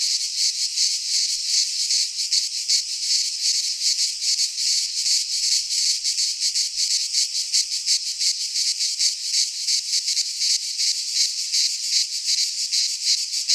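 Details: Midsummer chorus of cicadas in a Greek pine forest, a steady shrill metallic buzz that throbs in quick even pulses, several per second, unbroken throughout, nothing else audible.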